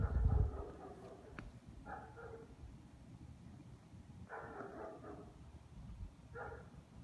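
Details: Dogs barking from some distance, a few short harmonic barks at irregular gaps, near two, four and a half and six and a half seconds, over a low rumbling background with a heavy thump at the start.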